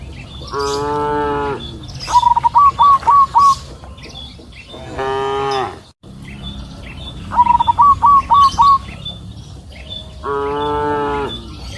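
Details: Two low, sustained moos from cows grazing freely on a green pasture hill in the afternoon. Each moo is followed by a bird's rapid series of five bright, rising chirps.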